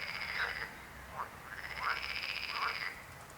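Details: Frogs croaking, with short rasping croaks under a steady high-pitched trilling buzz that runs through most of the recording.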